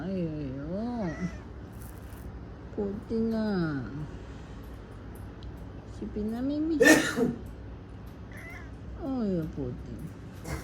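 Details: House cat Murphy, reacting to a sneeze, utters a series of rising-and-falling wavering meows spaced a few seconds apart, with a loud noise burst midway and someone speaking to him indoors.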